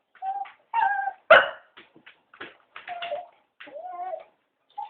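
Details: Three Cocker Spaniels begging to be taken for a walk: short high whines and yips in scattered bursts, with one louder sharp bark near the middle, separated by brief silences.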